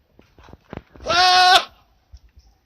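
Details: Goat kept at a school gives a single loud, nasal bleat lasting about half a second, steady and slightly wavering, preceded by soft scattered clicks and quiet background sounds.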